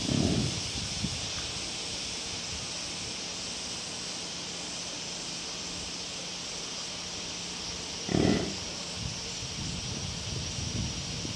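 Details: American bison at Higashiyama Zoo and Botanical Gardens in Nagoya, the male Ryo approaching while the female Mao calls to him from a distance; two short, low, breathy grunts open the clip and return near eight seconds, over a steady high insect hiss.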